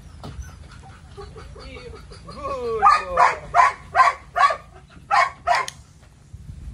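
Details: A Belgian Malinois called Psycho gives a short rising whine, then a steady run of seven loud barks, roughly three per second, ending abruptly. Quiet background otherwise.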